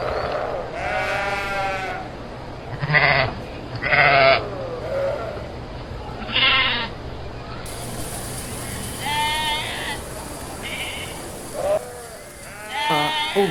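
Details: Several sheep bleating in irregular bursts, short wavering cries overlapping at times, some louder and closer, with quieter bleats between.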